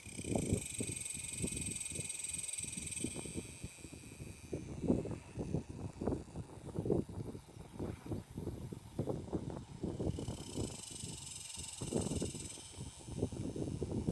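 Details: Cicadas on the Fourth of July (7/4/19) drone in a steady high buzz from trees, choruses rising and fading as they take turns.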